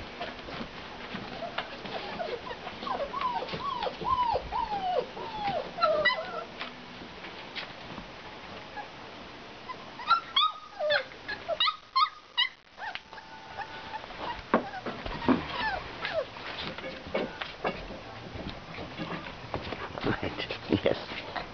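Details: English Mastiff puppies, five weeks old, whimper and yip in repeated falling whines, with a cluster of sharp, higher yelps near the middle, amid scuffling and bumping sounds.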